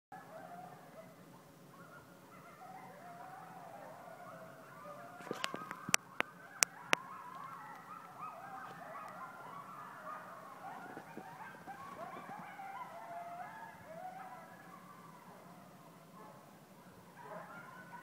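Coyotes howling together in a wavering chorus of overlapping high yips and quavering howls.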